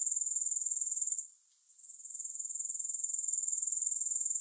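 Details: Grasshopper sound with no music: a thin, piercing, rapidly pulsed trill that fades briefly after the first second, then gradually builds back to its steady rhythmic beat.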